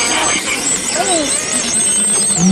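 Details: Beluga whales (Delphinapterus leucas) call over one another in a dense chorus of overlapping high whistles, sliding squeals and buzzy pulsed tones.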